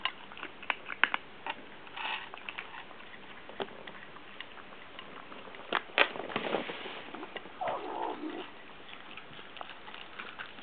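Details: Two Munchkin kittens eating side by side, hurrying and growling 'uu-uu' when touched mid-meal, guarding food from being taken; short vocal bursts rise over steady clicking chewing, ending in a longer falling moan-like growl.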